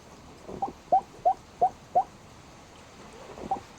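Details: Black pug asleep, giving a quick run of five short, squeaky chirps about three per second, then a pause and two fainter ones; its sounds may be snores or hiccups, heard in a quiet indoor setting.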